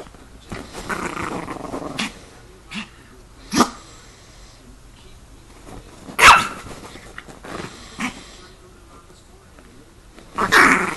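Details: Chihuahua attacking: a low growl rolls at the start, then loud isolated barks every couple of seconds, the strongest near the sixth second and a final snarling burst at the end.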